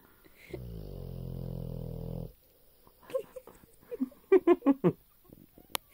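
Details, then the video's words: A dog lets out one low, buzzing snore of nearly two seconds, followed by short murmuring sounds and a quick run of sharp taps. "My Snoring Dog"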